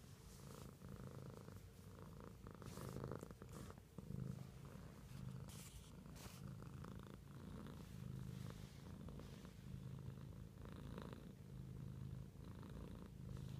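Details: Pet cat purrs in a quiet room, a low rolling hum rising and falling with each breath, accompanied by occasional soft rustles.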